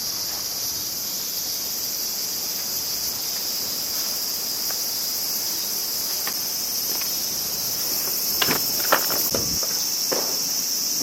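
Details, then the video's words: Summer crickets in Japan keep up a continuous high, ringing trill, a bright even buzz throughout, while a few brief knocks and rustling bursts, likely wind-stirred, break in near the end. "Sounds of Crickets and Winds"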